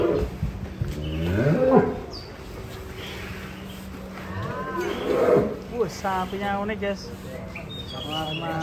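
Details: A fat cow kept in a shed gives two drawn-out lowing moos that rise and fall. A woman speaks over the second moo, and there are faint background noises.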